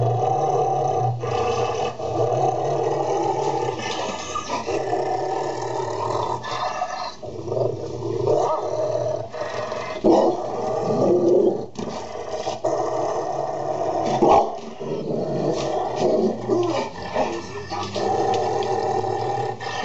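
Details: Golden Retriever calming down a Labrador: long stretches of throaty, rumbling growl-like vocalizing with moaning overtones, broken by short pauses roughly every few seconds, steady and loud throughout.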